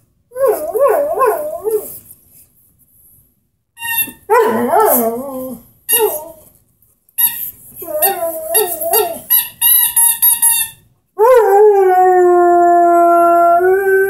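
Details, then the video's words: Henry, the 10-month-old Airedale Terrier, vocalizes with his squeaky ball: bouncing, yodel-like wavering yips and whines in quick bursts, then a long, smooth, steady howl to the end. "Henry, the singing Airedale"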